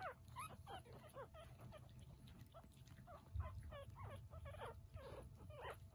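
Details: Chihuahua puppy giving a rapid run of high, squeaky whimpers, each a short rising-and-falling whine, close together across the whole stretch over a steady low hum.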